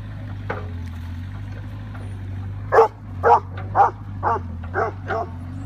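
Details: Old English Sheepdog confronting a Bobcat excavator, with a steady low engine drone throughout; after a quiet start, six short, punchy barks arrive about every half second.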